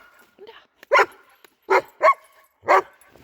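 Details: German Shepherd working dog barking outdoors during search training with a military dog handler, signalling a found object: four sharp, loud barks spaced about half a second to a second apart, with faint softer whines between.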